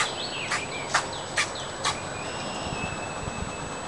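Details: An upset, not fully grown fox squirrel searching for food in a backyard gives sharp, barking chucks about twice a second, with thin bird whistles behind.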